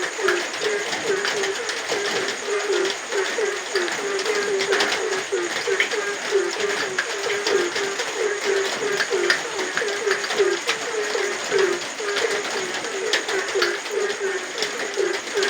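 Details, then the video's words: Frogs calling at night in the rain: short, low croaking notes repeated rapidly, nearly three per second, in a continuous overlapping chorus over the steady hiss of falling rain. "suara kodok di tengah heningnya malam"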